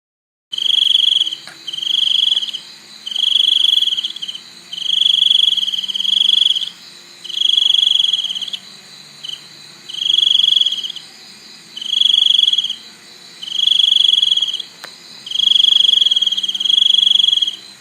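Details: Cricket calling in loud, even bursts of high, pure chirping, each burst lasting about a second and repeated roughly every one and a half seconds, with a faint low hum beneath.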